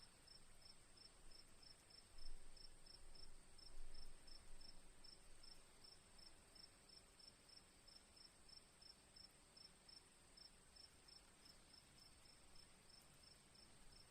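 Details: Crickets chirping in a relaxing nature recording with softly dripping rain water: rapid high pulsed chirps, about 79 a minute, over a steady shrill trill, with a low rumbling background and a few louder soft thuds near the start.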